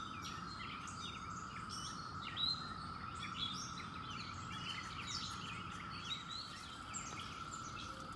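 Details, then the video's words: Periodical 17-year cicadas at the end of May keep up a level, ceaseless buzzing drone; bright bird twitters and short chirps come through at higher pitch. "Song of the Cicadas"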